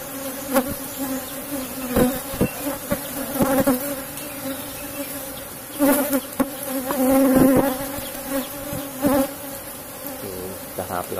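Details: Asian honey bees droning around an opened box hive at honey harvest time; constant low hum broken by sharp knocks and clicks and a man speaking in stretches.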